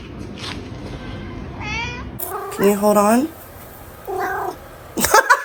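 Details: Domestic cat giving a few short, nasal meows: a brief one, then a longer wavering call, then a shorter one, over steady background noise with talking and a sharp clatter at the end.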